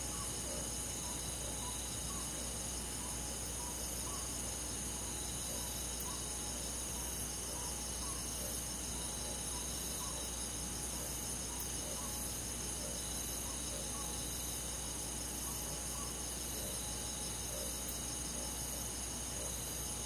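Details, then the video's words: Crickets among many forest insects on a countryside summer night: a steady, bright, high trilling chorus holds throughout, with soft quick chirps pulsing regularly below and constant low hiss. "잠이 잘오는 여름밤 잔잔한 풀벌레소리"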